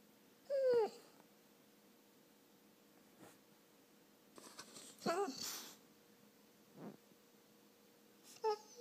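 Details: Labrador and Finnish Lapphund mix crying indoors to get attention. Three brief whines, each a short high cry that slides downward, are separated by quiet gaps, with faint shuffling.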